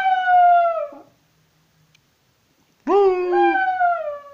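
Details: A young patterjack dog, one year and five months old, singing along: a single sustained howl that falls away, then a pause of about two seconds and a second howl that rises sharply before holding steady and fading downward.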